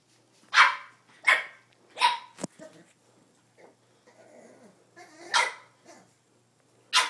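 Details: A female Boston Terrier gives a series of sharp, high barks at irregular intervals at her reflection in a mirror, apparently wanting to play with the "other dog".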